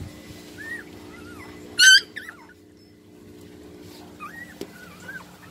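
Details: Blind two-week-old puppies during assisted breastfeeding: soft wavering high whimpers, one loud strained yelp near the two-second mark, then more thin rising and falling whines; low steady hum and a single tap behind.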